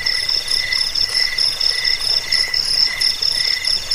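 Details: Cricket chirping, offered as a rat repellent, sleep aid and bird-training tutor; shrill pulsed trills in short bursts about every half second, overlapping callers forming a continuous bright chorus.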